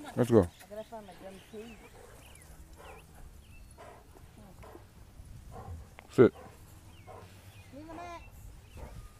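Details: A dog fight erupts at a dog park when a German Shepherd turns on a pitbull or American Bully mid-play. Two short, sharp bursts, one at the start and one about six seconds in, sit between human voices.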